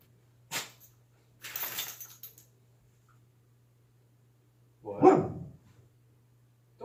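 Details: Dog sneezing: two sharp, hissing bursts of breath close together, a gap of quiet, then a louder, lower, rougher burst near the end.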